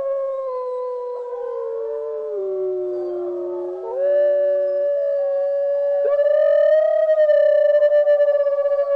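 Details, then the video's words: Gray wolf howling: long, smooth, mid-pitched notes that dip low, then rise and hold steady, with a second voice seeming to overlap near the end. "Gray wolf"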